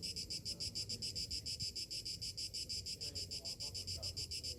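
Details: A summer-morning chorus of cicadas throbbing in quick, regular high-pitched pulses, about three or four each second, carried over a low background hum with occasional faint distant sounds.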